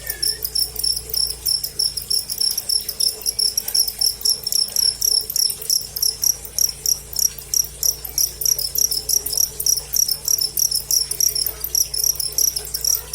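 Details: Cricket recorded live, its sound offered for training songbirds and for driving away rats: bright, high pulsed chirps repeated steadily at about three per second, with a faint thin whistle near the start.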